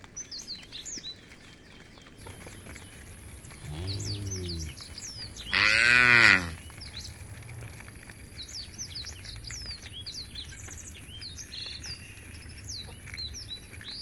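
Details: A herd of tame cows heading to a field beside a forest; one softer low moo, then a louder, brief bellowing moo, with many small birds chirping continuously throughout.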